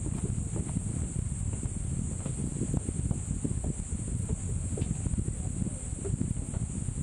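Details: Cicada singing on Gunung Brinchang in Malaysia's Cameron Highlands, its voice likened to Japan's Kaempfer cicada: an unbroken, steady high-pitched buzz holding for the full seven seconds over heavy low rumbling wind and handling noise.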